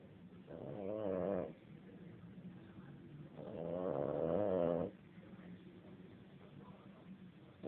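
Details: Sleeping dog snoring in slow cycles, with buzzy, rattling breaths lasting one to one and a half seconds and a low steady hum between them, about one breath every three to four seconds.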